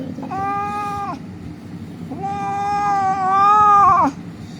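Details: Distressed injured cat found lying on a street, crying as rescuers handle it for treatment: two drawn-out wailing meows, the second longer and wavering before an abrupt drop, over low background rumble.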